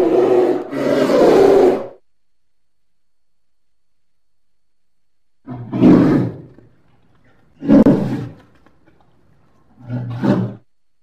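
A polar bear gives a long, deep roar, then three shorter guttural bursts spaced a couple of seconds apart.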